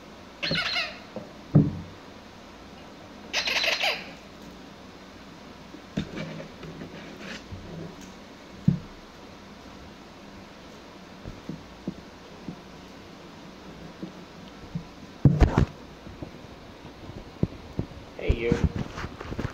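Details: Pomsky puppies, six weeks old, playing indoors, giving scattered short squeaks and yips in brief bursts, mixed with soft thumps, knocks and rustling from their play.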